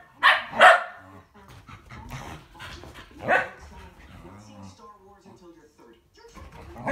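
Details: Two Shetland Sheepdogs, one tricolor and one blue merle, racing on 22 February 2017: two sharp, loud barks close together near the start, a third bark about three seconds later, and a man calling the dogs throughout.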